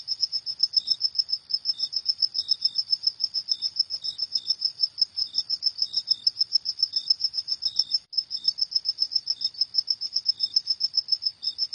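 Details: Cricket at night producing a relentless series of bright, high chirps about three or four per second, briefly pausing near the end, accompanied by occasional softer lower notes.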